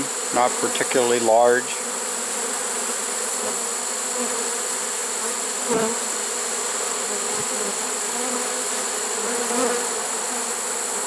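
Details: Trapped honey bee swarm, caught late in the season on September 1, 2019, humming in a steady, even drone; a short burst of human speech opens the recording, with occasional faint knocks later.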